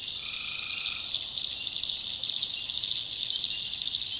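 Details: Tree frogs calling at night in the backwoods of North Carolina: a steady high shimmering chorus runs throughout, with one brief two-toned harmonic call near the start, then fades.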